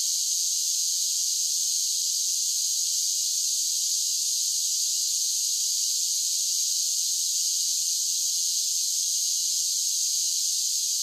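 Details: Summer cicada song, an unbroken shrill buzzing wash held at an even loudness throughout, a continuous chorus with no pauses, other animals or voices.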